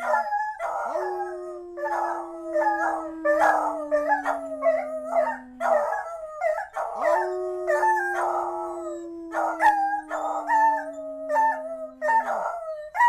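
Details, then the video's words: Two beagles howl together, easily prompted to do so, in long sliding notes mixed with bursts of yodelling bays. "Beagles howling!"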